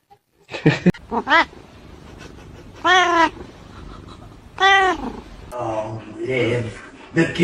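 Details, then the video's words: Domestic cat meowing indoors: two loud, drawn-out harmonic meows about two seconds apart, with shorter softer mews and quiet human speech between them. "kitten meowing"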